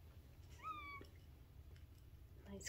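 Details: Three-week-old Bengal kitten from a fall 2021 litter giving one short high rising-then-level mew, with soft background murmur and a faint voice near the end.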